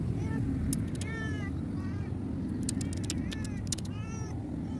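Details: ['Cat thrown away beside a road with no food nearby, giving a few plaintive wavering meows between sharp clicks, set against constant low vehicle noise.']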